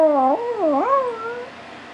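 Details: Male pet Chihuahua singing: one short, wavering, howl-like tone that dips, rises sharply, then slides down and fades over about a second and a half, after a person speaking to him.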